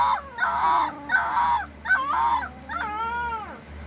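A Basset Hound puppy gives three short, throaty yelps, then a long, wavering howl that slides downward.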